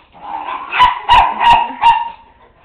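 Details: Miniature Pinscher, a one-year-old pet chasing a flashlight beam until dizzy, with a second dog in the house: four sharp, mid-pitched barks spaced roughly a third of a second apart, then quiet, a man scolding around them.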